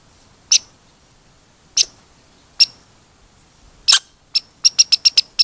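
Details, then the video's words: Red squirrel giving sharp, high squeaks, at first spaced more than a second apart, then quickening into a rapid burst of short squeaks near the end; quiet background otherwise. "Squeaky Red Squirrel"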